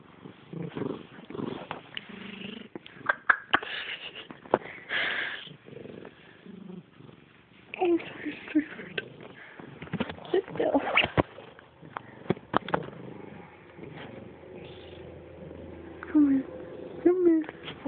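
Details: Female domestic cat said to sound like a pig, snorting indoors in rough, irregular nasal bursts with purr-like rumbling and a few short squeaky tones, while a woman talks in between.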